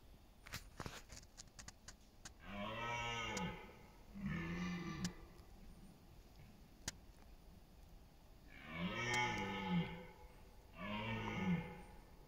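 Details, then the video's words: Red deer stag roaring during the autumn rut in the East Serbian countryside on September 28, competing for dominance and mates; four deep, harmonic roars of about one second each, in two pairs, after a few sharp clicks. "Roar of the Wild: Deer Rutting Season in Serbia’s Autumn Forests"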